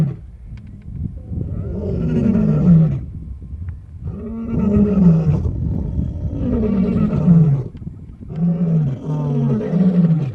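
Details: Wild white lion Casper with his brothers Mfowethu, Casanova and Footloose, west of Nsemani Dam on the H7, Kruger National Park, South Africa; deep throaty roars in long low grunting bouts about every two seconds, separated by short pauses.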